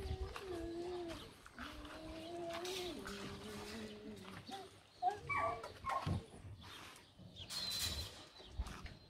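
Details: German Shorthaired Pointers in the female pens of a summer kennel near Mangalia whine in drawn-out, wavering tones, then break into sharp, scattered barks.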